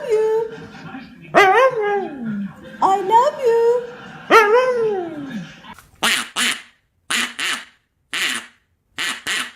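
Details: Dog making an unusual human-like vocalization: three drawn-out, wavering whines that slide downward, each about a second long, followed by short sharp bursts, possibly laughter or speech.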